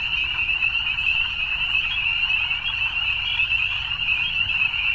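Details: Evening frog chorus, a dense unbroken wall of high, shimmering trills from many callers overlapping, steady in loudness throughout, with no other clear sounds.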